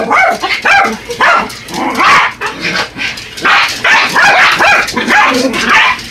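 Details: Excited yapping from Yorkshire Terriers Buddy and Elmo as they attack an R/C truck; clustered high barks and squealing yips come in close succession throughout.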